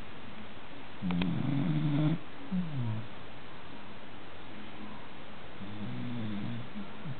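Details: Sleeping American Cocker Spaniel at an afternoon nap, giving a low, throaty snore, then a brief second rumble and a faint third one after a quiet pause, against constant soft hiss.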